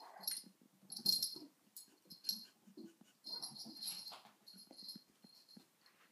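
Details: Sona the dog busy with a cushion in a small room, giving a steady string of short, airy wheezes and snuffling huffs, with hissy high breath noise and low soft grunts between them.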